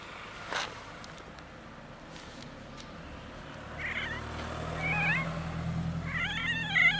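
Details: Pet female cat voicing weird noises while being touched; wavering, undulating meows build over the last three seconds above a steady low rumble, with a few clicks earlier.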